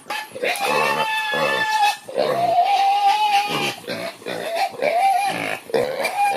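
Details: Several Creole pigs about to be fed in the morning in rural Haiti, outside a window; long sustained tonal squeals, slightly rising then wavering, back to back with brief gaps, loud and harsh, overlapping voices.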